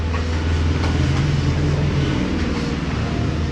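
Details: Steady low engine rumble of a vehicle or train runs throughout, with faint traffic noise and no animal voice.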